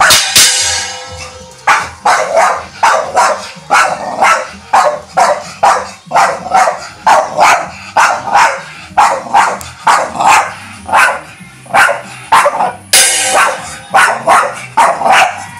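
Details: Charlie, a black Staffordshire Bull Terrier, barks steadily in a repeated series of loud, sharp barks, roughly one or two each second for the whole stretch, with a slightly harsher burst near the start and another around the thirteenth second.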